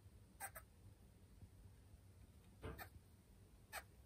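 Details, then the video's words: Pet female Senegal galago (bushbaby) at home, calling nonstop after an object resembling her from behind was set nearby, as if she took it for a living creature. Short, sharp chirps: a quick double at the start, another double, then a single. Low background hum. "ショウガラゴ プラム 鳴き声"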